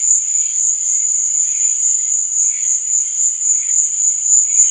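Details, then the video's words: Night-time cricket chorus, a continuous shrill high trill with no pause, softly pulsing in loudness, with fainter lower chirps drifting in and out. "Cricket Sound"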